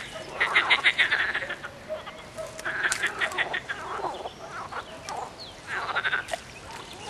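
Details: Frog croaks in rapid rattling series, quick pulsed notes tumbling over one another in short runs separated by brief pauses, with overlapping callers.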